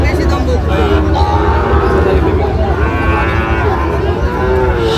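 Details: Sahiwal bull calves at a busy cattle market in Barishal, Bangladesh, on 23 June 2025, where a farmer bought 32 of them; low, drawn-out harmonic moos rise and fall through the clip over a steady crowd hubbub and chatter.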